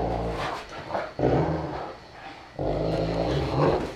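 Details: Saint Bernard pair, four-year-old Joseph and one-year-old Stitch, making deep rumbling growls indoors, two sustained rough bursts split by a brief quieter stretch.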